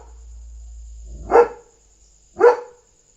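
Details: German Shepherd on night guard duty barking loudly to alert that a dog is outside; two deep, loud single barks about a second apart over a quiet background with a faint steady high hum.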